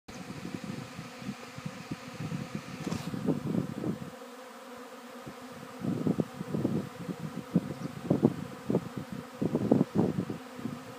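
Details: Bees re-swarming late in the afternoon, a day after their first swarm, settling again at the same spot: a steady, low droning hum throughout, broken by uneven rumbling surges.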